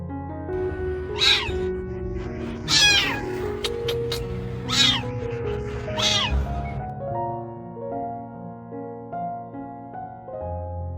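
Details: Young, terrified female kitten hiding deep in a car's engine compartment, crying for help: four loud, high, wavering meows in the first six seconds, each with a bent harmonic arc, over steady loud music that continues throughout.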